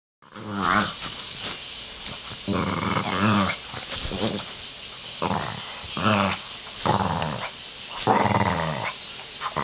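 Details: Pet pug growling while playing, making amusing little noises; repeated rough, harmonic growls in bursts of about a second, with short gaps and some snorting in a small indoor room.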